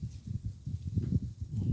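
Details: A female cat named Shana snoring while asleep after a day of work; low, rough breathy rumbles repeated in quick pulses, with no other clear sounds.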